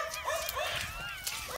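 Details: Jackals howl together in a forest beside a Turkish village, a chorus of wavering, high-pitched wails and yips that rise and fall.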